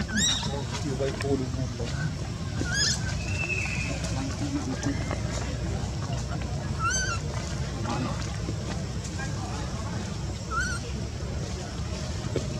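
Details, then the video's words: Newborn baby monkey Luno, rejected by its mother Luna, crying: short, high, piercing harmonic cries, each about half a second long, repeated four times at intervals of three to four seconds over a steady low rumble and background noise. "Newborn baby monkey Luno crying"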